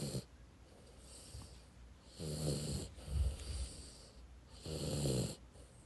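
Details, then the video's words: Dog snoring, from a one-hour recording made to help with insomnia: slow low rumbling snores, each breath building and fading, roughly three loud inhalations over six seconds with soft hissy exhales between. "불면증 치료에 탁월한 강아지 코골이"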